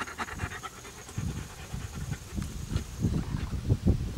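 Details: German Shepherd named Anita playing with an American Staffordshire Terrier puppy, 2008; low, breathy panting in quick irregular bursts with soft rustling and scuffling of play.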